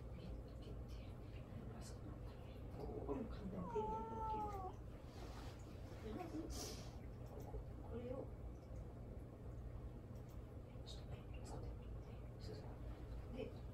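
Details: Indoor house cat Mame-daifuku meowing for attention while its owner deliberately ignores it; one drawn-out, wavering meow, bending up and then down, rises above a low room hum, followed by soft murmuring voices.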